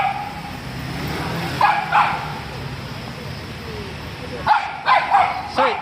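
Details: Bichon Frise with a problem of barking at passers-by and other dogs and chasing cars. A few sharp barks in two bursts, the second a quick cluster of four near the end, over steady low background noise and a man speaking between them.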